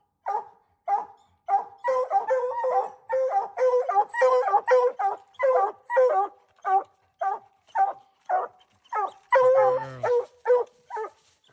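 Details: Dogs hunting raccoons keep up a dense chorus of overlapping barks and bawls, many calls in quick succession, with one longer drawn-out howl near the end.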